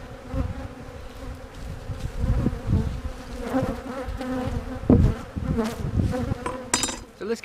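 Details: Western honey bees from a hive split, checked for a successful new queen during the 2020 season, make a continuous low, droning buzz that swells and fades, with occasional sharp knocks and clatter from hive handling.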